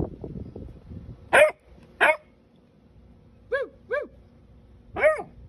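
A Basset Hound puppy lets out a handful of short, high-pitched barks, some arching up and dropping like little yelps. A person's voice is heard briefly at the start, trading sounds with the pup.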